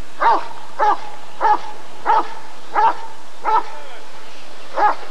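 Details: Rottweiler at a 1994 ADRK Körung giving a run of seven sharp barks spaced about 0.6 seconds apart, the last after a longer pause, over a faint continuous hum.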